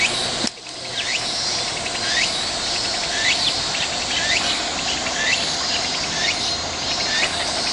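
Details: Cicada chorus on a walk: steady shrill high buzzing throughout, overlaid by rhythmic rising chirps repeated roughly every half second, after a brief knock near the start.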